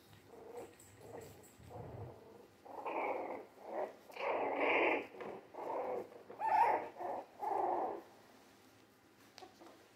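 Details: Jack Russell Terrier mix puppies, three weeks old and born 17 December 2020, indoors; a run of rough, growling yelps comes in uneven bursts, louder in the middle, then fades to quiet.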